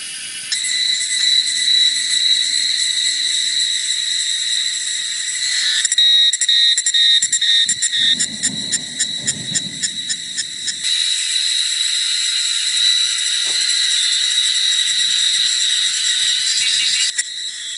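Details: Cicadas singing in the forest at Jinlong Mountain, Nantou, Taiwan, on a hot, humid summer afternoon, 28 May 2016: a dense, steady high buzzing drone with strong harmonic bands, broken midway by a few seconds of rapid pulsing rhythm before the continuous buzz returns.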